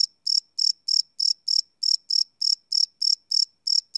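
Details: Live night recording of crickets made with a Sony PCM D100 recorder, unlooped: a rapid series of piercing chirps, about three each second, with a couple of slight hesitations in the rhythm and a quiet background.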